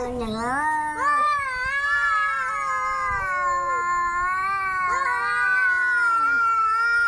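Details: An angry cat begins with a low growling moan that rises into sustained, quavering yowls. Pitch bends repeatedly over seven seconds of unbroken calling in a quiet setting.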